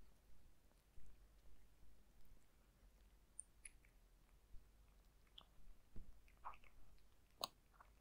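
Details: Zayka the cat eating dry food indoors: soft, scattered crunches and sharp clicks of chewing at irregular intervals, with a low steady hum beneath and no talking.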